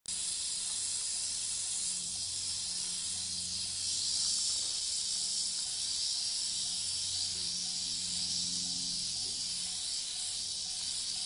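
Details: Western diamondback rattlesnake in Saguaro National Park, recorded in 2013, giving a steady, unbroken high-pitched rattling buzz that holds evenly throughout, with faint low hum beneath.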